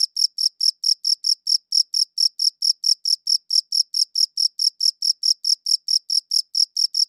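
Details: Clean recording, made with a good audio recorder, of a chirping cricket: sharp high-pitched pulses repeating rapidly and evenly, about four each second, in otherwise total quiet.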